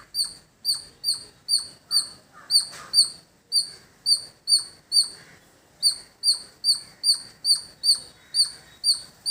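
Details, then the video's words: Village squirrel giving a long run of shrill, piercing chip notes, evenly spaced at about two to three per second with a short pause midway, each note sharp-edged with a ringing upper tone, over quiet rural background. "Beautiful Squirrel Making Sound"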